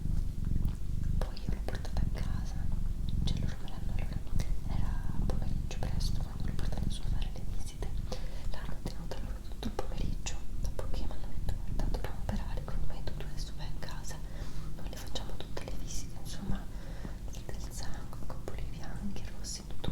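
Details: A female pet cat named Doroti purring, a low even rumble running under frequent soft whispering and scattered crackling handling noises in a small indoor room.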